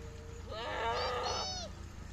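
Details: ['Goat on a farm in Pakistan kept alongside sheep: one long, wavering, nasal bleat of about a second, rich in stacked harmonics, with a slight rise and fall, over a faint low background hum.']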